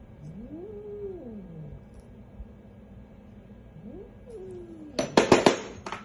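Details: Billy the cat, angry at the vet, gives low wavering growls that rise and fall, then bursts into a series of harsh, loud hisses near the end.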